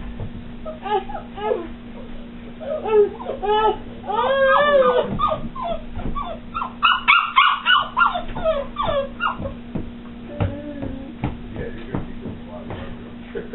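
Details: A new puppy giving high, sliding whines and yelps, some rising then falling, in irregular clusters, with a person speaking softly nearby and a steady background hum.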